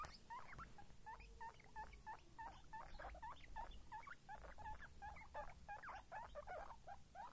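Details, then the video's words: Young guinea pigs squeaking steadily, with short chirp-like notes that each flick upward, given in quick succession and growing busier near the end, over low rustling. "guinea pig babies"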